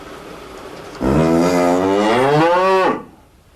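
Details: A single cow moo lasting about two seconds, a rich harmonic tone that climbs slightly and then dips at the end before cutting off into near silence.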